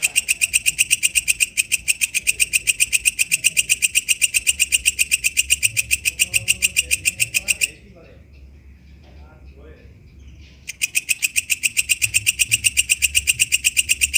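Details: Katydid called walang kecek singing in the wild, a long even sequence of shrill rasping pulses near four per second, interrupted by a three-second pause with faint murmurs, then resuming at the same rhythm.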